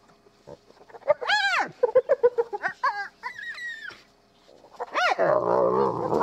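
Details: Spotted hyena family at a den in Kruger National Park, South Africa: a mother feeding quietly with her cubs before the rest of the family returns and chaos erupts. Rising-falling whoops and squeals, then a rapid run of short giggling yelps, and a harsh, noisy squeal.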